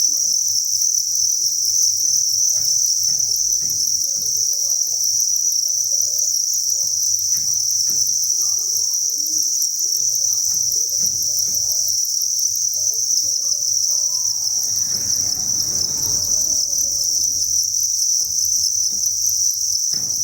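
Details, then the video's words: Thousands of crickets inside a cricket breeding farm chirp together in a dense, unbroken, high-pitched shimmering chorus that holds steady throughout, with faint low scratching and tapping noises underneath and a brief rustling burst near the middle. "Cricket Chirping Sound"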